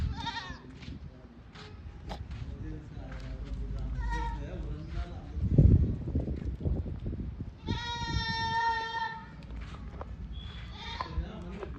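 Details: Goats on a farm, a long harmonic bleat near the end followed by a shorter one, with people talking and handling noise throughout.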